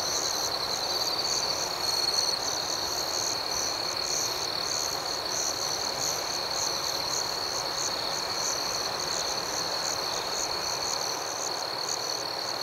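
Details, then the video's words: Gentle night ambience of many crickets, a constant high shimmering drone with soft repeated pulsing above it. It stays even and unbroken, with no single caller standing out. "Soothing Cricket Sounds"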